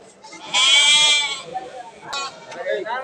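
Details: Local Bengal goat at a bustling goat market in Bangladesh; one loud, strained, quavering bleat lasting under a second, followed by brief clicks and nearby human voices.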